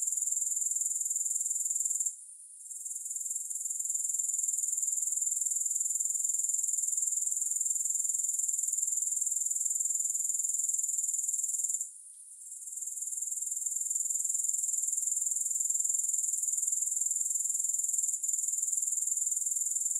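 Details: Grasshoppers heard without music: a dense, steady high-pitched buzzing trill that runs continuously, dropping out briefly twice, near the start and midway, then resuming at the same even level.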